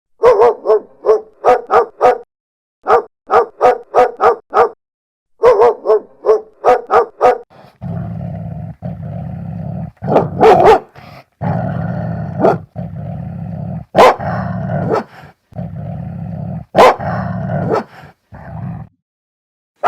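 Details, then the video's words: Dogs of various breeds barking: a fast, regular series of sharp, clipped barks in groups of four or five, then deeper, louder barks over a steady low rumble of background noise. "51 Cachorros Latindo - Som de Latido de Cachorros Variados"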